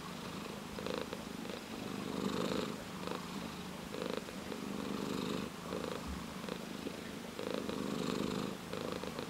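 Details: Close-up purring of a ginger tabby cat: an even, low vibrating drone broken into inhale and exhale phases that rise and fall in loudness every second or two, with a quiet indoor background.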